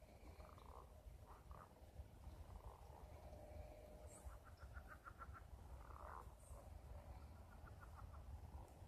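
A frog gives short bursts of rapid, evenly spaced clicking pulses over a steady low rumble.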